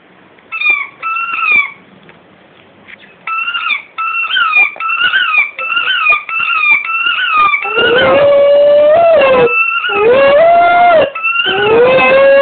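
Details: Pet dog singing along to a squeaky rugby ball it bites: first a run of short, high, paired squeaks, then from midway long wavering howls that rise and fall, interrupted by more squeaks.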